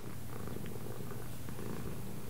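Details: Cat purring steadily indoors, a deep buzzing hum with small rhythmic pulses and no pauses.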